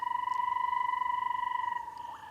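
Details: In a Namibian game reserve during a very wet rainy season, a male banded rubber frog gives its mating call: a steady, fast-pulsed trill on one clear mid-pitched note lasting about two seconds, with bubbling kassinas calling in the distance.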